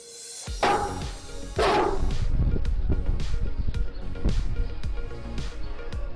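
A Great Dane gives two deep, booming barks a second apart over steady background music.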